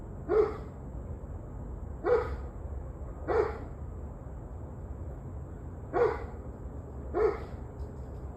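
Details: Dog barking in the evening, 21 November 2023 at 7:06 pm; five short, sharp barks at uneven intervals of one to two seconds over a low background hum.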